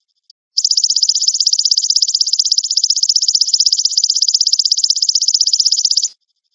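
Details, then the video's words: A golden grasshopper, used as training audio for magpie robins, gives a steady, high, buzzy trill of rapid pulses lasting about five seconds. "MASTERAN BELALANG EMAS AMPUH UNTUK MASTERAN MURAY BATU"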